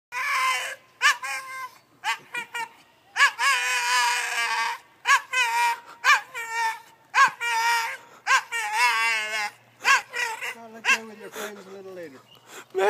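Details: Bulldog left at camp, protesting: loud, repeated whining cries with wavering, tremulous pitch, some drawn out and sliding downward, others short yelps, coming in bursts with brief gaps; a person speaks briefly afterward.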